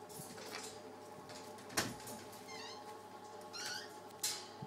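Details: Pet ferrets playing together, giving short high squeaky chirps with stacked harmonics, three brief bursts spread over a few seconds, among soft knocks, rustling and a steady low hum indoors.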